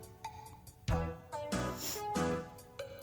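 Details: Background music with plucked and synthesized instrument tones and short percussive hits, no animal voice audible.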